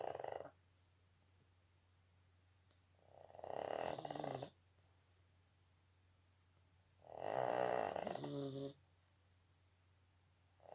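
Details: Slow, rhythmic snoring from a Boston Terrier: two long, rumbling, rasping snores roughly four seconds apart, the start of a third at the end, with near silence between.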